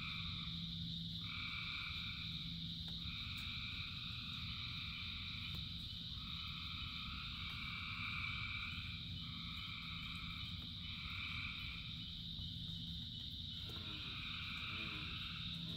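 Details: A huge frog chorus calling in rain. Bursts of pulsed croaking about a second long repeat in a loose rhythm over a continuous high, shimmering wall of voices and a steady low rumble.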